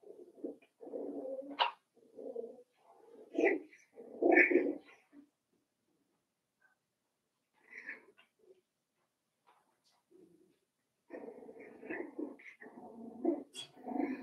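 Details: In Daisy's puppy pen, several five-week-old Cavalier King Charles Spaniel puppies give overlapping whines, squeaky yips and grumbly murmurs, then fall quiet for several seconds before a busy burst of mixed whining and yapping returns.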